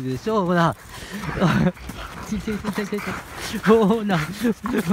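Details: Husky playing roughly with its owner gives wavering, yodel-like howls with clear harmonics, one at the start and another near the end. People talk and laugh throughout.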